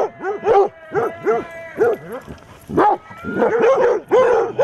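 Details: Eight Basset Hounds bay at a mechanical Halloween cat they are defending against; separate booming barks and drawn-out howling bays overlap, with a steady tone behind them and a denser chorus toward the end.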